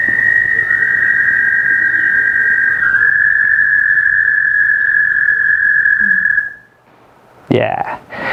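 An American toad gives a long, steady, high musical trill that holds one pitch for several seconds.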